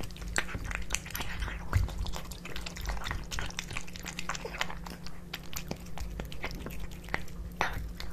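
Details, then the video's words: Two pet cats, Kitkat and Leo, eating tuna fish wet cat food indoors; steady wet smacking and chewing clicks in a close, quiet room with a constant low hum. "Cat Eating Tuna Fish Cat Food ASMR"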